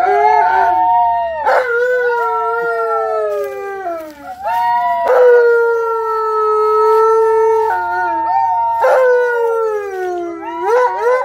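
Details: Tonka, a pet Alaskan Malamute, howls with excitement while visiting nephews, nieces and a neighbor are there. Long, drawn-out tonal howls slide gently downward. Five overlapping phrases swell and fade, each restarting with a brief rising yelp.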